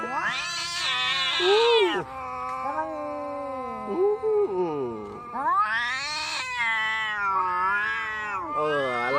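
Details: Cats in a fight trading loud, harsh yowls: sharp high screeches that rise, bend, and fall into lower drawn-out growling moans, two intense bursts separated by wavering howls.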